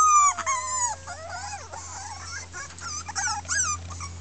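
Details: Miniature Pinscher puppy, one of six red girls in a 2013 Keltic Kennels litter, complaining; opens with a long falling whine, then bending, wavering cries and short yips from other pups, low hum throughout.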